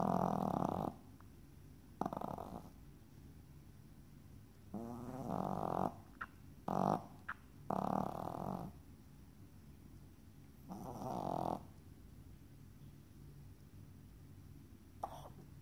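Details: Yorkshire Terrier snoring loudly, described as sounding like a chainsaw: harsh rasping snores of about half a second to a second, separated by uneven quiet gaps of one to two seconds, in a quiet room.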